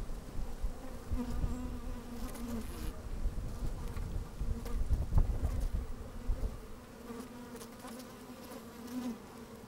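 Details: Honey bees moving about inside an open hive on a sunny, slightly windy day, microphone lowered among them; steady droning hum with wavering buzzy tones rising and falling, plus clicks and scratching from bodies brushing the mic.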